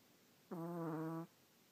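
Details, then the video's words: Sleeping pet dog snoring: a single steady, buzzy, fart-like tone lasting under a second, flat in pitch with rich harmonics, in a quiet room. "Fart Snores"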